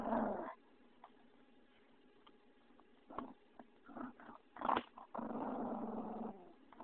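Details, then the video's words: Vinny the pug clowning around indoors: a short rough growl opens, scattered thumps and a brief yelp-like burst follow, then a sustained low growl of about a second near the end. "MY PUG VINNY"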